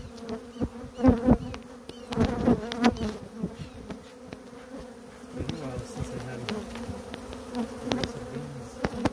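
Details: Africanized honey bees, a colony nesting inside a cable pedestal, producing a steady low buzzing hum with overlapping droning tones, punctuated by scattered clicks and knocks.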